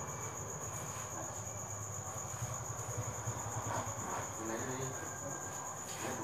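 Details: Farmed crickets at Trại dế Thanh Bình in the evening, about 8 pm, during egg collection: a continuous shrill metallic trill holding one high pitch for the whole stretch, with faint low talk and a soft rumble underneath.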